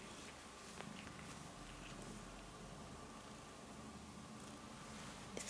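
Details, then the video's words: Male pet cat Rudolph purring indoors while getting his claws cut; a soft, low continuous rumble, strongest for over a second early on, with faint clicks in a quiet small room. "Purring Cat Gets His Claws Cut"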